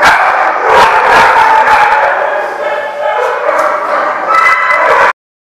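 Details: Group of dogs at The Barking Lot on August 17, 2015, yapping and barking in a thick overlapping mix, with short sharp barks repeated rapidly before the sound cuts off abruptly near the end.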